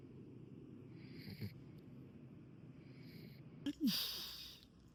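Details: Welsh Corgi named Podo, fast asleep during a trip to a pet-friendly pension on Geoje Island, South Korea: soft, low, breathy snores about three seconds apart, then a brief sharp squeaky snort.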